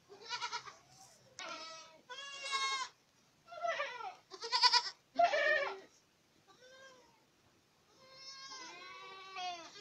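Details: Several Boer goats in Acatlán de Osorio, Puebla, bleating one after another, with harsh, vibrating and some higher wavering cries, then a long, softer, trembling bleat toward the end.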